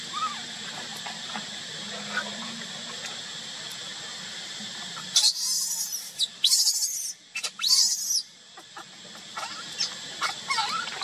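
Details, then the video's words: Baby monkey crying while left alone by its mother: faint high squeals early on, then a cluster of loud, shrill, hissing screeches with sharp rising sweeps around the middle, followed by softer scattered whimpers. "Pity, cute baby monkey crying. why did Mommy Monkey keep baby crying alone"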